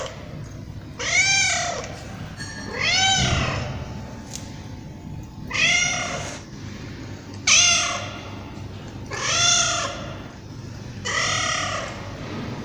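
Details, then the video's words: Tabby cat with six long, evenly spaced meows roughly every two seconds, each a rising-falling wail with strong overtones, a low background rumble beneath. "Tabby Cat Meowing"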